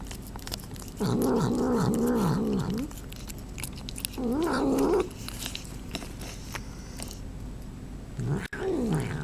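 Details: Pet cat vocalising while it eats, in three bursts of low, wobbling, moaning sounds with rapid pitch undulations, separated by quieter stretches of chewing and crunching clicks in a small room.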